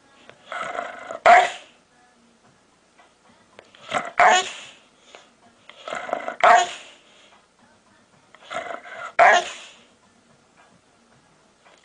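A large Pit Bull gives odd, drawn-out barks, each building from a low grumble into a sharp burst.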